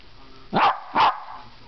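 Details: Domestic dog making noises: two short, husky woofs about half a second apart over a low background hum.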